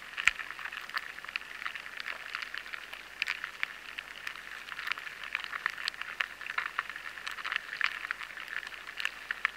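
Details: Crackling feeding noise of lesser grain borers inside barley: an unbroken hiss of tiny ticks and pops resembling rain on a road, dotted with occasional louder clicks.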